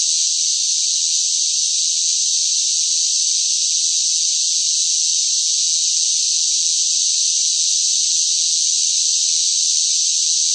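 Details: Cicadas calling loudly in hot weather: an even, sizzling high-pitched whine sustained without a break, steady in volume, no birds, wind or people heard.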